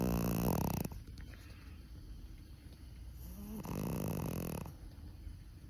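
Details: A Chihuahua snoring in its sleep, worn out after a camping trip: two rough, rattling snore breaths about three seconds apart, each lasting close to a second, with quiet breathing in between.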